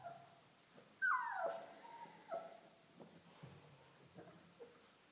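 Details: Dogo Argentino puppies: one loud whine sliding steeply downward, followed by softer, short whimpers scattered over the next few seconds in a quiet room.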